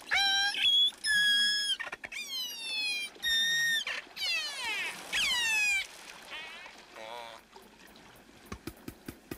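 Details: A killer whale off Vancouver Island, rubbing its back on pebbles, gives a run of squeaky, squealing calls that rise and bend in pitch, strange sounds never repeated in the same form.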